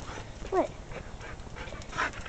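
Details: Emily, a female husky/wolf mix, the runt of her litter and mother of seven pups, 'talks': a short gliding whine-like vocalization that bends up and down, then a fainter second call near the end, over quiet room noise.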